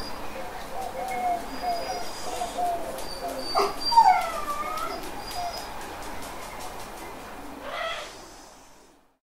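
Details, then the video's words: A dog cries and whines: a series of wavering, tonal whimpers bends up and down, with a louder drawn-out whine near four seconds, then a short final yelp before it fades into steady hiss. "Dog Crying Sound"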